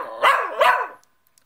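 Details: Cockapoo answering back indoors after being told to sit, giving two loud yowling, bark-like vocalisations about 0.4 seconds apart, each with a rising then falling tone.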